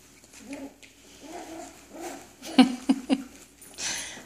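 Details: Cairn Terrier puppies from an indoor litter of six, three males and three females. Low moaning whimpers come in a series about every 0.7 seconds, then a few sharper yelps, and a soft breathy hiss closes the sequence.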